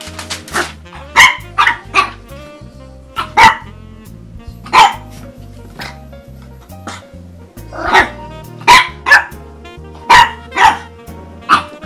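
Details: On her first Christmas, French Bulldog puppy Cosette barks at her stocking: a long string of sharp, yappy barks in loose bursts, often two or three close together, with a music track running underneath.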